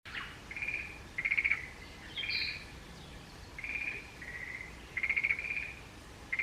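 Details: Forest green tree frogs calling in the mountains, recorded this year: short pulsed, rattling bursts about a second long, repeated at irregular gaps, with a brief higher squeaky note in between and a quiet natural background.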